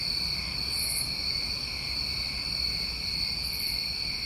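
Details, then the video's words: Summertime crickets recorded in New England, an unbroken shrill trill in steady bands, with two brief higher bursts near 0.9 and 3.6 seconds over faint low background rumble. "Tinnitus Masking With Crickets"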